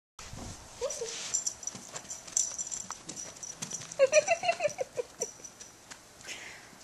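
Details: A female toy poodle in a pink dress, twirling and dancing for treats, gives a brief high whine early on, then a quick run of short, pitched whimpering yips midway, over light tapping and clicking sounds.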